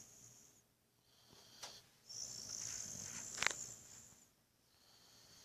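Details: Buddy the Boxer snoring in deep sleep: sharp snorting catches break up a long hissing breath that rises and then dies away into quiet.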